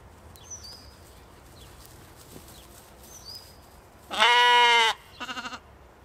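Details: Katahdin sheep playing one evening on a Michigan homestead: one loud, strongly harmonic bleat of almost a second, then a shorter quavering, pulsed bleat, with faint bird chirps earlier.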